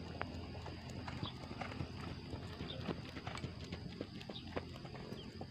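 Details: Horses training on the H.M. Hasan Gayo racecourse in Takengon, Central Aceh, Indonesia; irregular clip-clop of hooves, roughly two beats a second, over a steady low hum with faint voices.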